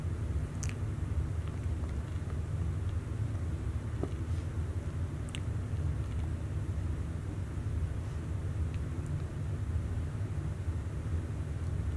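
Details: Low rumbling room or vehicle noise continues throughout, with only a few faint clicks and no animal sound.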